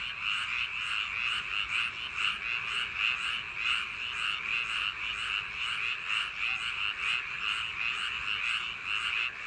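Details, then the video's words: A summer-night chorus of frogs in rice paddies, many overlapping harsh croaks forming a steady, throbbing wall of sound with repeated pulses through the whole stretch. "여름밤 논두렁개구리소리"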